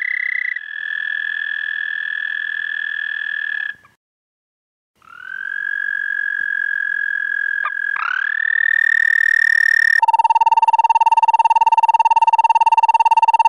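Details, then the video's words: Nighttime toad chorus, 30 May 2014 near 11:13 p.m.: high sustained trills start, stop for a moment, and restart with a rising onset, then a lower, coarser, strongly pulsed trill takes over loudly. "Have You Ever Heard a Toad Sing?"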